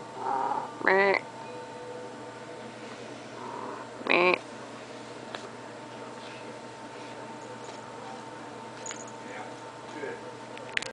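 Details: Pet cat begging for food after already being fed, giving two short bright meows about three seconds apart, then quiet room sounds with faint speech in the background.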